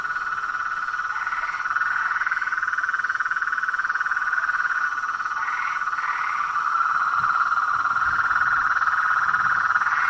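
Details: Frogs and toads calling together in the wild, forming a loud, continuous trilling drone with occasional higher, rising croaks over the top.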